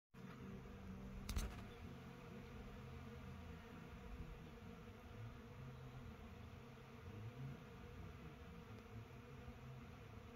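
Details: A low, steady hum of hundreds of honey bees in lavender fields at Bridestowe Lavender Estate, Tasmania, their overlapping wingbeats forming a droning buzz.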